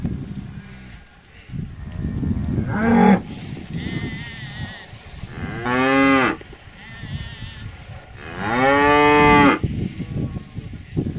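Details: Cow lowing repeatedly over a rough, noisy background, with three loud drawn-out moos about three seconds apart, the last one longest and strongest.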